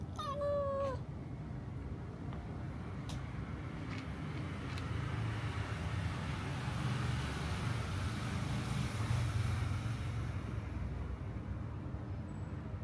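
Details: Pregnant cats begging for food; one short, bright meow opens the recording, dropping slightly in pitch, followed by a long stretch of low, droning traffic rumble with no further calls.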